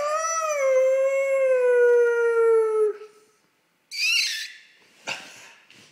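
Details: A pet dog howling and barking at a person: one long, steady, gradually falling howl lasting about three seconds, a pause, then two harsh, noisy barks.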